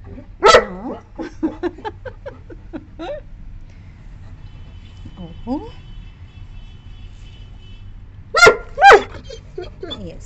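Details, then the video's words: Nine-month-old female Saint Bernard puppy barking angrily at a visiting wild cat, driving it from the boundary: a loud, harsh bark burst near the start and a double bark near the end, with a woman's soothing talk in between. "ANGRY DOG BARKING SOUND ll TOO LOUD ll St. Puppy throws raging temper on spotting a Cat"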